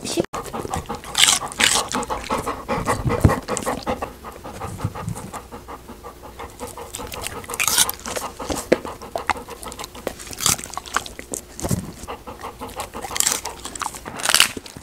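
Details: Golden retriever eating snacks: wet crunchy chewing and smacking with irregular louder bites and bursts of panting-like breaths throughout.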